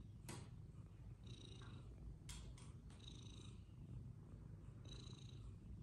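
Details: Playful fluffy Persian cats, an unbroken low purr underneath several sharp clicks or taps and intermittent high tonal beeps.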